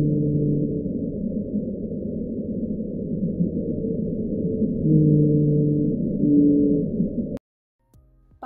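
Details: Blue whale call sped up ten times to be audible, played for comparison with the 52-hertz whale (most whales call at 10–40 Hz): long steady low moaning tones over a dense rumbling hiss.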